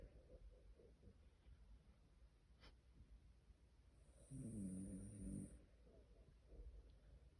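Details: A tired Shiba Inu asleep indoors gives a single low, rumbling snore lasting about a second midway through, with a faint hiss and otherwise quiet room noise around it.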